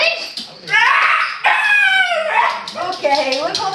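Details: Otis, a 4-year-old Border Terrier/Boston Terrier cross dog, howls in long, wavering, sliding notes while a person talks to him, as he does whenever told the family is going to the cottage.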